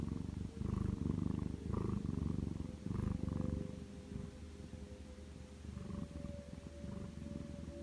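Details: Napping lap cat named Macaron rumbles a low vibrating snore-like purr, louder in the first seconds, then softer and steadier, with a faint tonal hum in the still indoor background.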